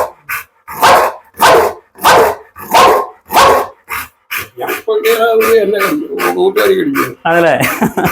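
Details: Pit Bull barking in a run of six deep, heavy barks spaced roughly every half second, then a man talking over the dog for the rest of the recording.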